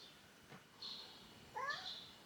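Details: A kitten trapped in a neighbour's garage, crying for days and seemingly trying to escape, gives one short, rising meow with a thin, wavering tone. A faint higher whine and low background hum sit beneath it.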